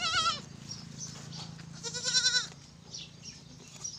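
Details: Pateri goat, a mother with four kids, gives two loud wavering bleats with a quavering vibrato, the first short and the second longer, about two seconds apart, over a low hum and faint clucking of fowl.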